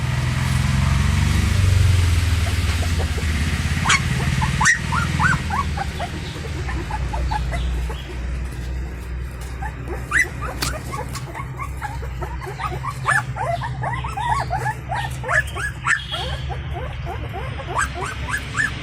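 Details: Indian Pariah dog puppy, born to a free-living stray mother, crying to get her attention at feeding time; many short, rising squeaky whines come in quick irregular runs over a steady low rumble.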